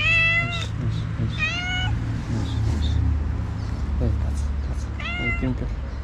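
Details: Stray cat asking for food one early morning in Morocco, meowing repeatedly in clear, rising cries while a person greets it and asks if it is hungry; low traffic-like rumble underneath.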